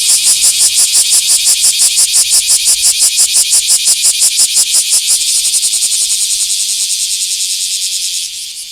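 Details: Bear cicada filmed in a small park on 24 July 2026, a loud, harsh buzzing chorus pulsing about three times a second, then shifting after five seconds to a faster, steadier, slightly quieter whirring drone that fades near the end.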